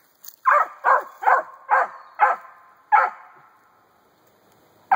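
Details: Treeing Cur puppy, a four-month-old female, barking up a hollow tree holding a grey squirrel den: six sharp, evenly spaced barks roughly every half second with a short gap before the last, then quiet until another bark begins.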